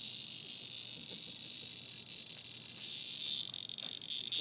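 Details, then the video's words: Caught by the dog Grace as a plaything, a dying cicada keeps up an unbroken, intense high-pitched buzz. It wavers slightly in loudness throughout, with a few soft knocks beneath. "Grace and the Cicada"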